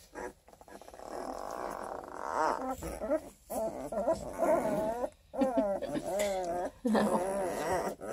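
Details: Redtick Coonhound x Black & Tan Coonhound cross puppies, 12 days old, from a litter of eleven near Kingston, Ontario, Canada; overlapping wavering, quavering whines and grunts rise and fall in short bursts, with brief pauses between.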